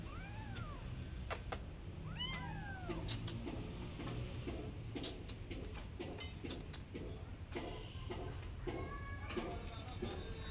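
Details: Persian cat with her adopted kittens walking in a garden while watching rabbits; several arching harmonic meows near the start, then softer, higher meows, over steady low background rumble.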